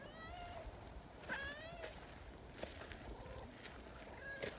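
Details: Friendly silver tabby community cat chatting with a person behind a bench outdoors: several short, bright meows spaced a second or two apart, one longer and bending, with quiet human speech and footsteps between.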